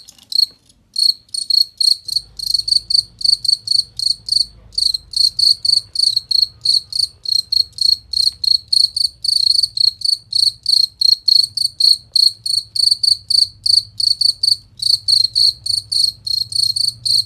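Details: Cricket used as master audio for training champion contest birds: a long, unbroken series of crisp, high, ringing chirps, about three per second, steady throughout, over a soft low rumble.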